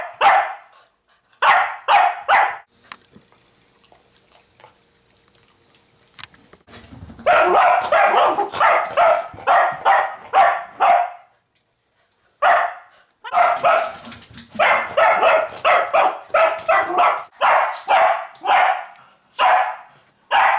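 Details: Dog that has barked at a pig for over an hour, delivering insistent rhythmic barks in uneven runs, about two per second, separated by short quiet breaks.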